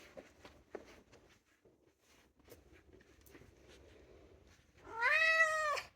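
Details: Two-year-old polydactyl Maine Coon cat indoors: soft clicks and shuffling, then one loud, drawn-out meow that rises and holds steady before fading, rich in harmonics.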